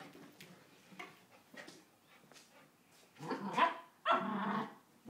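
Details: Female Samoyed in one of her moods: soft scattered grumbles for three seconds, then two loud, harsh, rough growling barks, each lasting under a second, near the end.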